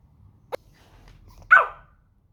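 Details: Pomeranian dog, called a talking dog, gives a single short, sharp yip after a faint click, in an otherwise quiet setting.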